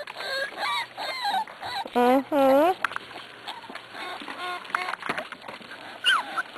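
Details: Six-week-old Corgi puppies, weaned and eating dry food, give two strong arched yelping barks in close succession. A person speaks throughout, and other small puppy squeaks are heard.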